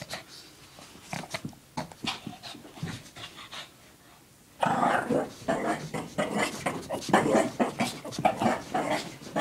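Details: Shih Tzu dog Lacey acting silly with her pink puppy blanket during zoomies, indoors; soft breathy huffs for the first few seconds, then suddenly louder, rapid, uneven panting bursts, roughly two per second, until the end.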